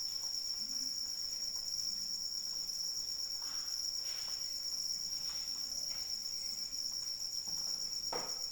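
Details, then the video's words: Crickets calling during rain, a steady high-pitched shrill trill that holds unbroken throughout, with soft scattered raindrop taps and patter underneath. "Suara Hujan dan Jangkrik Pengantar Tidur"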